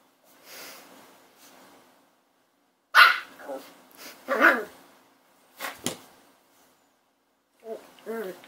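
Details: A puppy gives short, sharp barks, one strong burst at three seconds followed by rougher yaps and a pair of brief whiny notes near the end, with quiet gaps of room silence between the outbursts.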